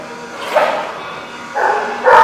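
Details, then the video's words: Dog at The Barking Lot, recorded 11/13/15, gives rough, broadband barks: one near the start, then two louder ones close together at the end over a noisy background. "The Barking Lot"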